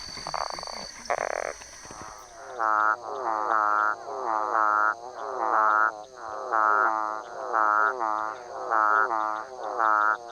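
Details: A Central dwarf frog (Physalaemus centralis) gives nasal, whining calls, each under a second long, repeated about once a second.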